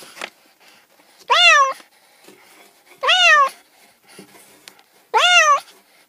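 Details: Domestic cat meowing three times, each meow a clear harmonic call that rises then falls, spaced about two seconds apart, with quiet room sound in the gaps.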